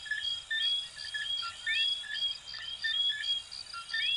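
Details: Coquí frogs from Venezuela and Puerto Rico calling together, short clear whistles alternating with upward-sliding chirps roughly once a second per caller, overlapping, backed by steady insect buzzing.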